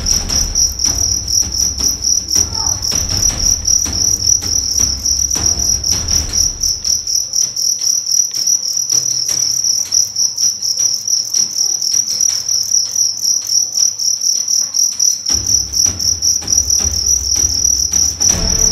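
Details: Young fighting cricket from Karawang, West Java, size 7, body weight 1.4 grams, under test. Continuous shrill chirping in quick regular pulses, roughly four a second, with low rumbling background noise coming and going.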